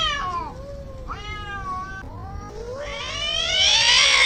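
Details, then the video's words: Cats in a fight, giving strained, wailing yowls that slide down then climb, with a short break before a loud, harsh, rising howl at the end. "CATS FIGHT, Angry Cats Fight, Weird Cat Noise"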